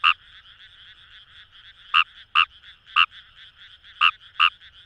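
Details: Kawamura's rice frog (Fejervarya kawamurai) calling in wild paddy fields by the Kamo River, Itoshima, Fukuoka, Japan: sharp, loud croaking notes, often in close pairs, over a steady background chorus of many distant frogs.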